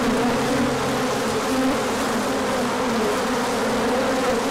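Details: Many honeybees on a large orientation flight as the sun comes out after colder weather, with pollen coming in; a dense, steady buzzing hum with wavering tones drifting around each other, continuous throughout.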